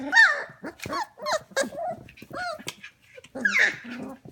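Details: Goldendoodle puppies, F1 cross, 25 days old, indoors at 11 pm. Rapid, overlapping yips and rising-falling whines come one after another, ending in a longer wavering cry.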